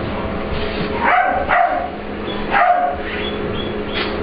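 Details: Ester, an English Bulldog/Pit Bull mix puppy, at playtime with the dog Layla in a grooming room; three sharp bark bursts land about half a second to a second apart, followed by softer yips, over a constant indoor hum.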